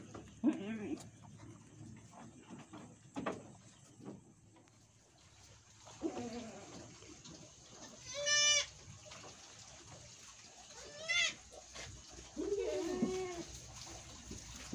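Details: Etawah goats at a goat farmer's home in Bukittinggi, West Sumatra, Indonesia, during a doe's birthing; short low calls early on, then three strident, quavering bleats spaced a few seconds apart, amid soft human speech and room noise.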